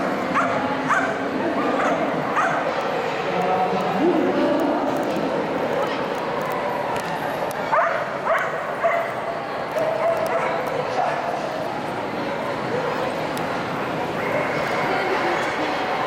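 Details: Keeshond named Ray running an agility course at the AKC Agility Invitational, Orlando, 12-14-2012; clusters of sharp, harmonic barks and yips come every second or so, amid constant voices and arena background noise.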